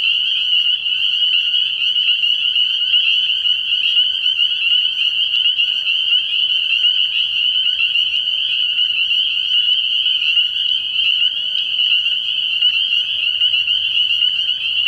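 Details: Dense spring peeper chorus from a frog pond at night early in the year, high shrill peeps overlapping continuously, with a faint low hum underneath toward the end.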